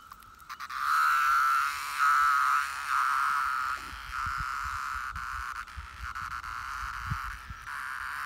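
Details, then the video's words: Brood IX periodical cicadas buzzing in a steady, high droning chorus, with louder pulsing phrases swelling and fading in the first few seconds before settling into a continuous hum, plus scattered low thumps. "Brood IX Periodical Cicada Buzzing"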